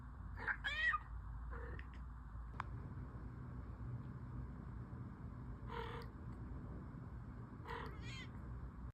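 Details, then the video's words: Orange cat giving a quick pair of meows at the start, then two brief quieter meows later, separated by low humming background and a single click. "Orange kitty or orange monkey?"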